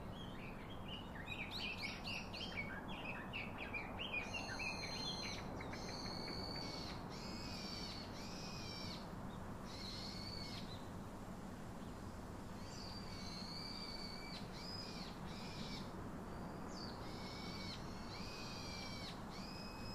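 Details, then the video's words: Baby monkey calling its father to hug and comfort it: a run of quick chirpy notes, then long, high, thin squeals held steady or wavering, some breaking off abruptly, over a constant low hiss. "Baby Call Daddy To Hug Comfort Him Such Mother, So Lovely Baby Monkey"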